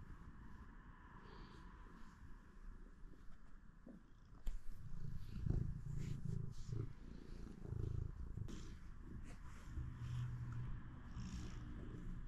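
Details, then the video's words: Domestic pet cat purring early in the day; continuous low, throbbing rumble that grows noticeably louder after about four seconds and stays steady, with faint soft rustles and clicks in the background. "Starting my day with my Cat's adorable Purrs!"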